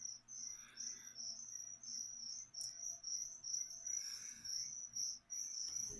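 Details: Crickets used to feed a pet leopard gecko keep up a piercing high chirping trill in rapid uneven pulses, about two or three per second. Occasional soft clicks and handling noises are heard.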